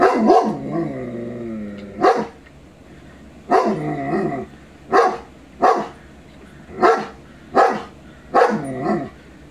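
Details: A 22-month-old male shepherd dog reacts to a Rottweiler on television with about eight sharp barks spaced roughly a second apart, some with whiny, falling tails, in a quiet indoor setting.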